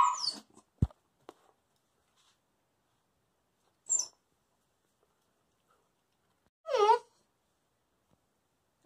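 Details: Coastal wolfdog puppy indoors, chattering for treats while its owner eats; short bursts of rising and falling yelps, one near the start and a longer wavering run about two-thirds through, with quiet gaps between.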